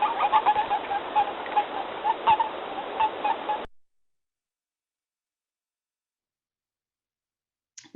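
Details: In a wetland, a male Western (boreal) toad gives soft, rapid chirps in an uneven stutter for a few seconds, then silence: the release call telling a male that has grabbed him he is male and won't lay eggs.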